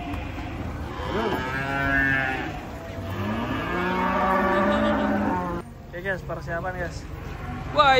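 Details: Giant cattle unloading from a truck in the morning give two long, low moos with rich harmonic layers, each lasting about one and a half to two and a half seconds, followed by softer, broken grunts and faint human voices.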